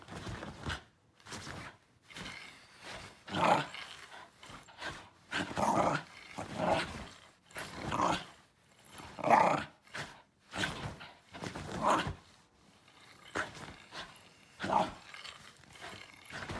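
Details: Shiba Inu dog protesting a backscratcher it dislikes with a long run of harsh, throaty growl-grumbles, each about half a second long, repeated roughly every second, some louder and more yowling than others.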